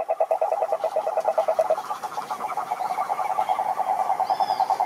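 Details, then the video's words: Toad croaking, which males use to attract females: fast rattling pulses at mid pitch, rhythmic and unbroken, briefly wavering in strength, with a faint high whistle near the end. "Som do Sapo Coaxando"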